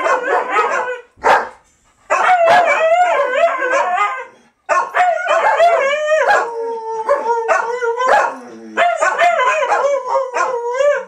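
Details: Several dogs howling through 2012 Fourth of July fireworks, long quavering howls at differing pitches overlapping in a chorus, punctuated by sharp barks and yelps, with two short breaks between bouts.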